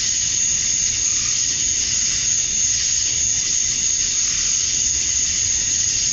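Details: Cicadas in Georgia, USA, at summer dusk, the males chirping to draw females: an unbroken wall of high buzzing with a sustained whining note, volume flat from start to end, faint low noise below.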